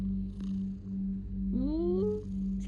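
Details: Pet cat named Simba purring, a steady low rumble that swells and fades with each breath about every half second, joined by a brief rising tonal voice near the end.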